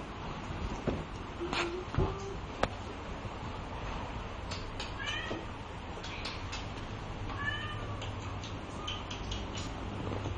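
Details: Two-month-old male Bengal kitten, offspring of AK Bama, offered with a brown marbled and a soft lilac littermate; a few faint, short meows rise and fall against a steady low hum, with soft clicks and knocks.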